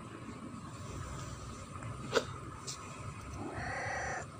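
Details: Clever domestic cat giving a short meow near the end, a brief harmonic cry after a sharp click, over low room noise.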